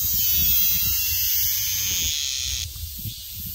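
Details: Minmin cicada screaming in a steady high shrill drone that holds for over two seconds, then drops away abruptly, leaving faint lower rustling.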